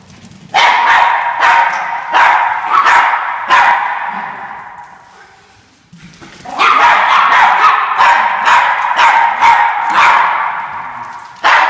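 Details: Several Norfolk Terriers in pursuit of the orange fox bark excitedly in rapid, irregular volleys of shrill yips, pausing briefly midway before a second dense run of barking.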